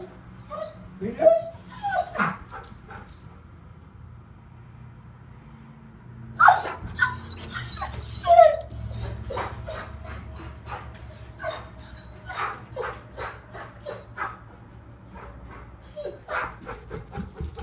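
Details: Pet dog named Duke left behind, giving high whining yips and whimpers in short bursts, some sliding down in pitch, with clicks and knocking in between.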